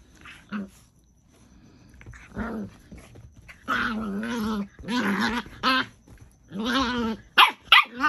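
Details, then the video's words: Two Miniature Pinschers, Bonnie, a merle female, and Draco, a chocolate male, scuffle for dominance indoors; harsh growls and yappy barks come in bursts, drawn-out snarls between sharp yelps, with a person's voice faint in the background. "DOG FIGHT !!! Miniature Pinscher trying to gain dominance"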